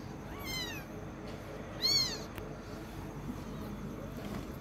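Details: Kitten learning to walk gives two high, arched meows about a second and a half apart, the second louder, over a low steady background hum.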